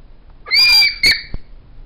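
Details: A black and tan female New Guinea singing dog gives a brief, high, pure-toned howl that swoops up and holds steady.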